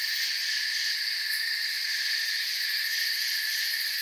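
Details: Steady high-pitched chirping of many crickets in a forest soundscape, blended into one sustained shimmering chorus with faint fast pulsing on top and a brief brighter tick near the middle.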